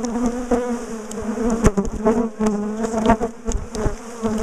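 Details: Swarming buzz from a large colony of bees in a top bar hive during splitting and moving; thick layered humming that swells and dips as bees fly close, punctuated by clicks and knocks.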